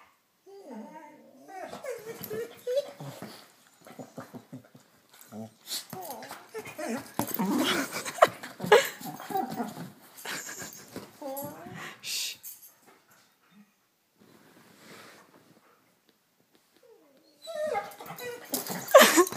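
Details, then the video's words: A female pet dog vocalising when she wants food, with whiny, whimpering calls rising and falling in pitch, broken by bursts of indoor noise and some human speech. "Hungry Dog!"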